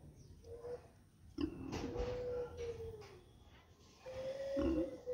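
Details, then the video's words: Mother pig with piglets on a street, with several drawn-out tonal squeals and grunting bursts, some long steady whines and short harsh squeaks, over a constant background hum. "PIG SOUND|| MOTHER PIG WITH PIGLET"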